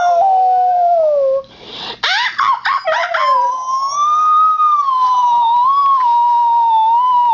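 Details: A Husky mix called Max howls, sliding gradually downward, then breaks into short choppy yelps for about a second. He swells into a long, higher wavering howl that holds to the end.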